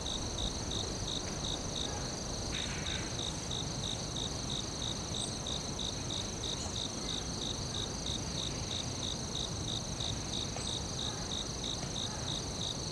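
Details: Crickets calling in the forest: a fast train of short high chirps about three per second, briefly dropping out near the start, above a sustained high whine and low noise.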